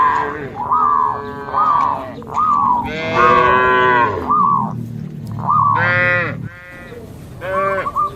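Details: Herd of cattle leaping over a border on a path through green rice fields. Several rich, harmonic moos in close succession, one especially loud and broad near the middle, with overlapping callers.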